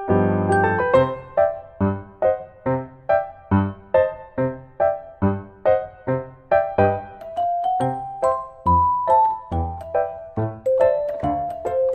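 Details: Piano or electric keyboard music plays a simple repeated melody of bell-like notes, with no animal sound heard.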